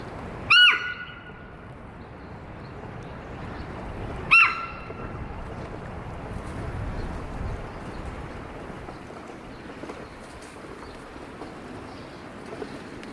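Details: Female Hokkaido sika deer Amanda, 15 years old, at Sapporo Maruyama Zoo in Japan, suddenly wary and calling loudly; two sharp, high whistle-like barks about four seconds apart, then steady background hum.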